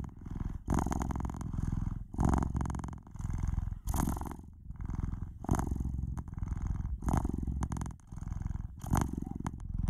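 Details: Close-up purr of a domestic cat, deep and rattling, swelling and easing in a regular rhythm of about eight breaths, nothing else audible.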